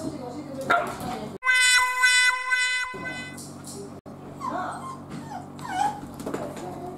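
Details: A male Miniature Dachshund cries out of loneliness after a female dog keeps rejecting his invitations to play. High, wavering whimpers come in short bursts. A steady, flat electronic tone sounds midway, with human voices in the background.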